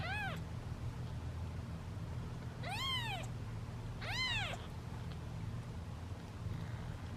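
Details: Hungry kittens waiting in a basket to be fed let out loud, impatient meows. The calls are clear and arching, one at the start and two more a second apart in the middle, over a constant low hum.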